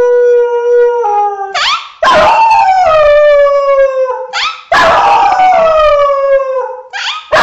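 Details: Comic dog howling: loud harmonic howls that begin with a sharp upward yelp and then sink gradually, repeated about every two and a half seconds.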